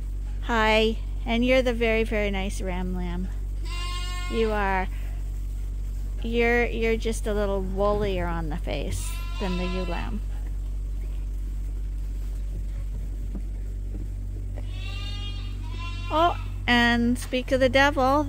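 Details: Bottle-fed lambs at Ewetopia Farms, still on their mothers but topped up twice daily, bleat in wavering, quavering bursts, several overlapping and repeated rapidly, with a steady low hum and music beneath.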